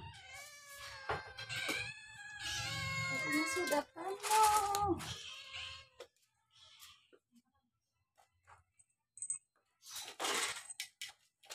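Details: Domestic cats at home, playing and eating, give drawn-out, wavering meows in the first half, overlapping a woman speaking Indonesian, then quieter clicks and faint movement noises.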